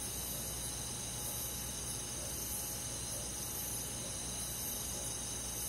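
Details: Many crickets and forest insects on a countryside summer night, making a continuous shrill trilling chorus with rapid even pulses, unbroken throughout, over a low steady background hum.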